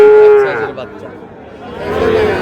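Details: Sahiwal bull calves at a cattle market, headed to Cox's Bazar after purchase on 14 August: one short, steady-pitched moo opens, then a softer lowing call returns at the end over background voices.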